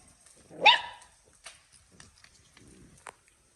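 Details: One of nine newborn poodle pups from Lulu's first litter at a farm gives a single sharp, high yip that rises then drops. A few faint rustles and a soft squeak follow in an otherwise quiet room.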